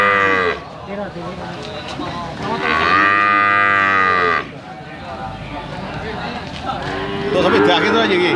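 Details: Brahman and Limousin calves mooing: loud, drawn-out, harmonic moos at the start and a long one near the third second, then further lowing near the end over background murmur.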